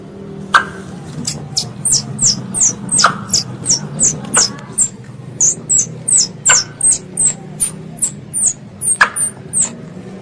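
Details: Squirrel pest calling its mother, used as a lure for ambush hunting: high, thin chirps that fall quickly in pitch, repeated about three times a second in a steady series, with a few sharp clicks.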